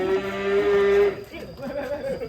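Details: Fat, colourful cattle: a loud, steady, tonal moo lasts about one second with an even, held pitch, then fades into murmuring voices, with laughter close by.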